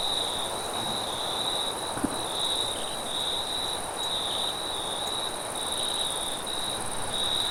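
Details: Night chorus of crickets in forest: steady high-pitched trills swelling in short pulses, a thin hiss higher still, wind rushing beneath and one soft knock partway through.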